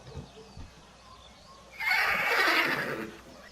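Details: Horse from a galloping herd neighing: one bright, broad whinny of about a second and a half, preceded by faint low thumps.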